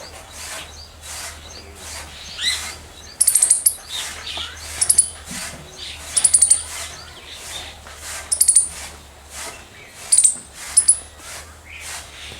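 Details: Loud squirrel chirps in short bursts of three to five shrill, very high clipped notes, the bursts repeated roughly every one to two seconds, with faint rustling and steady low hum behind.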